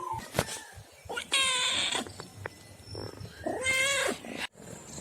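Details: Domestic pet cats: two drawn-out meows, the first high and strained, the second lower and steadier, separated by scattered clicks and thumps in a noisy indoor background.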